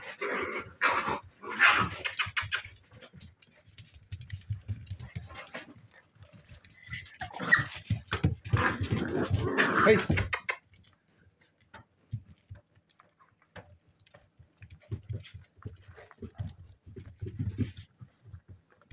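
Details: Seven-week-old spaniel pups in play, mixing low grumbly growls and thin whimpering yelps with bursts of rough scuffling, then quieter soft grunting; human voices faintly in the background.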